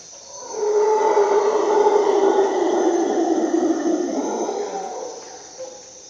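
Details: Howler monkey at dawn in the Costa Rican rainforest: a deep, rasping, broad roar swells after half a second and holds for about four seconds before fading, over a steady high insect hum.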